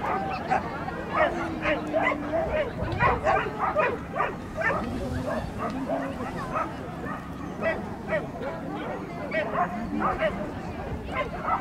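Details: Norfolk Terrier at an agility session recorded 28 March 2009, giving short sharp barks repeated in quick bursts through the clip, mixed with background chatter of people.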